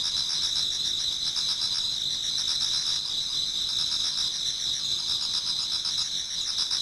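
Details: Many autumn insects singing toward dawn in a Japanese garden: a dense, steady chorus of high continuous trills layered with fainter pulsed chirps repeating several times a second, no other sounds standing out.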